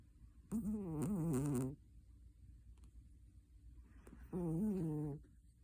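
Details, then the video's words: Sleeping cat snoring: two voiced, buzzy breaths about four seconds apart, each a wavering low tone with many stacked overtones and lasting roughly a second, over a quiet background. "Snoring cat"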